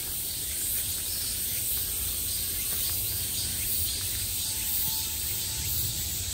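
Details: Cicadas at the height of summer, heard from all around, buzz in a steady, high, shimmering drone that never lets up, with a low rumble beneath.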